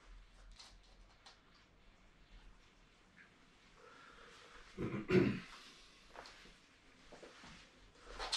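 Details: Welsh Terrier indoors during an obedience training session, giving one short, low, abrupt bark partway through, surrounded by quiet room tone, soft shuffling and faint movement noises.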